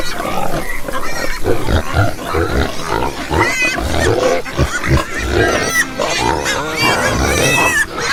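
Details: Group of farm pigs grunting steadily, deep rough snorts packed close together with occasional higher squeals and oinks mixed in throughout.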